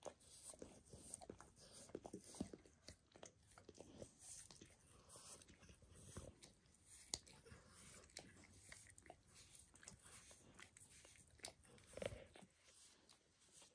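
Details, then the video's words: A dog named Max grooming himself, working over his own paws and then a person's foot and leg; there is a steady stream of moist slurping and tongue clicks, dense and uneven, with brief louder smacks throughout. "Max Licks | Dog Licking Sounds"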